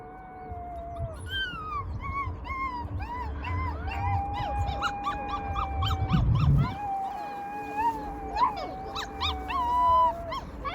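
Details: Rescued wild wolf pups howling together in a chorus: several overlapping, wavering tones that slide up and down, with sharp rising yips and squeals between them, over a low rumbling background.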